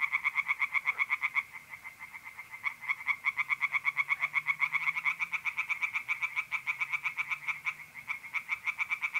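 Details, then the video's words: Tree frogs sing at night by a pond in North-East Italy in mid-April, a loud, quick-fire run of grating pulsed croaks with brief dips in intensity, and only a faint low hum behind them. "relaxing singing tree frogs in pond"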